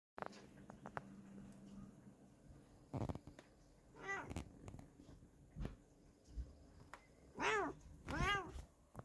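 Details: Bengal cat seeing snow for the first time, letting out several short, plaintive meows that rise then fall, with a quieter one partway through and soft thumps and rustling in between.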